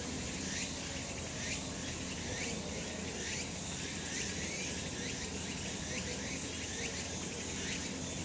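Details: Cicadas calling on a sunny summer mountainside, recorded last month: a dense, hissing high-pitched drone with rising buzzy pulses repeating a little more than once a second, over a faint low rumble.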